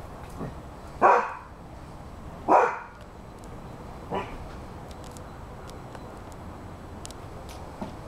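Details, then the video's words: Eight-month-old Rhodesian Ridgeback Dude barks at a cat and a squirrel that keep running along the fence; two strong barks about a second and a half apart, then a softer third, followed by quiet. "Rhodesian Ridgeback 8 months barking"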